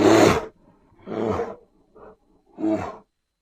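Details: Grizzly bear producing a loud opening roar followed by softer, wavering growls and a short grunt, the calls fading quickly in a quiet setting.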